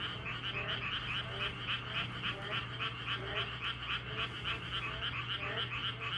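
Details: Chorus of many frogs croaking together: fast, evenly pulsed rattling notes that repeat about three or four times per second without pause, with a constant low droning hum underneath.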